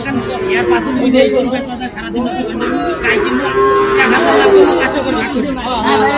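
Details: Sahiwal bull calves bought by a farmer from Mymensingh, Bangladesh, on 7 February; low drawn-out moos rise and fall through the clip, partly buried under steady crowd chatter and people talking.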